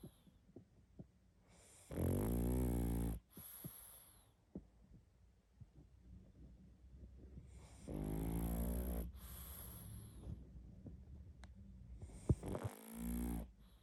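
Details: A pug asleep and snoring hard, giving three loud, buzzy, low inhaled snores spaced roughly five to six seconds apart, with faint wheezy breaths and small clicks between them.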